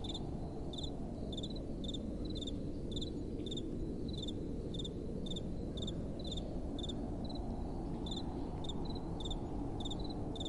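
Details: Night-time crickets calling in soft wind, brief bright triple-pulsed chirps repeating roughly every half second, a second slightly higher chirp interleaving, all above a constant deep wind hiss.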